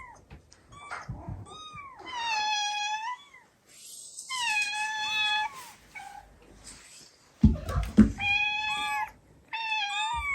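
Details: Domestic cats indoors, a kitten's recorded meowing played back to a household of cats that gather; several clear harmonic meows with rising-falling pitch, in bursts separated by pauses, with thumps and movement noise.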